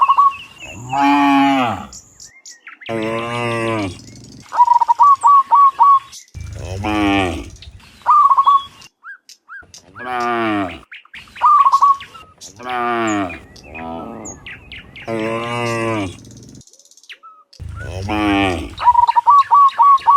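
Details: Morning return of cows from the field to the pen: a herd lowing again and again, with deep drawn-out moos overlapping, every two or three seconds. Quick bursts of high chirping notes fall between the calls.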